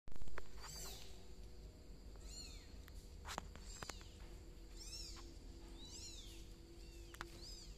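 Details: ['Cats at home, a golden cat named Sam reacting as a bicolor kitten crawls; five high, thin meows, each arching up and falling, come at uneven gaps, with soft clicks and taps between them.']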